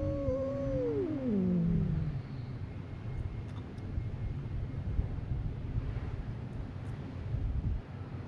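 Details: Cat fight on a Japanese fishing port: a loud descending growling yowl in the first two seconds, then only low wind and harbour rumble.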